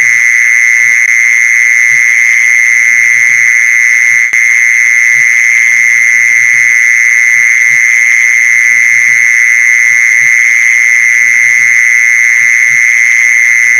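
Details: Mole cricket song sounding as one long, even, high buzzing trill without pauses, used to lure mole crickets; faint low clicks scatter underneath and there is one momentary gap around the four-second mark.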